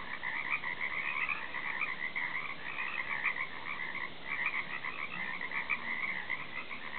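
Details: Croaking frogs recorded off a back deck, a continuous layered chorus of rattling calls with a brief lull midway.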